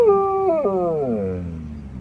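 A wolf gives a smooth, mournful howl, starting fairly high and gliding lower over two seconds. A short wavering break interrupts the tone before it continues its slow descent and fades.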